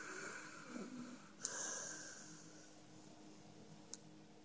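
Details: Five, a male dog, sleeping indoors in a small room, gives one long wheezy snore with a whistling high hiss, followed by quiet breathing; a brief low voice sounds just before it.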